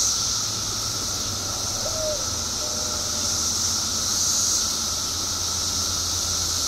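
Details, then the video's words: Periodical cicadas, billions emerging together after 17 years underground in Illinois. A steady, unbroken droning hum with a high hiss overhead and a couple of faint brief whistles in the background. "Billions of Periodical Cicadas Emerge After 17 Years Underground Cicadas Making Noise"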